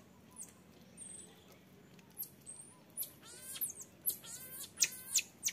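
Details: Young marmoset begging to nurse, refused by its mother. Quiet start with faint high whistles, then bursts of rapid buzzy chattering squeaks grow louder over the last seconds.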